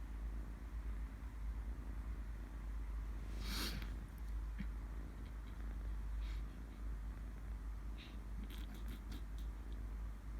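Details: A kitten purring in its sleep: a continuous low, throbbing rumble, broken by a sharp rustling burst near the middle and several brief clicks and scratchy handling noises toward the end.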